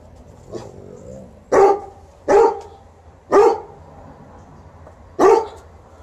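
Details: Barks from TJ the Golden Retriever and Liza the Alaskan Malamute during a shoe-shine: a faint bark, then four strong, punchy barks spaced about one second apart over a quiet low hum.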